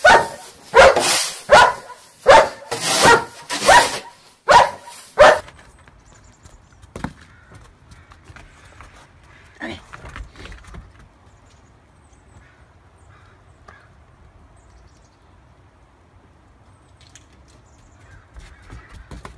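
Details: German Shepherd dog playing in snow: a rapid burst of about eight loud, harsh barks in the first five seconds, then near quiet with faint rustling and a few soft scattered sounds.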